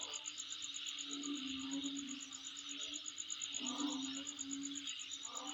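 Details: Insects near a dwelling keep up a fast, regular high-pitched pulsing and a constant hiss-like chorus; brief low tonal hoots sound around the middle and near the end.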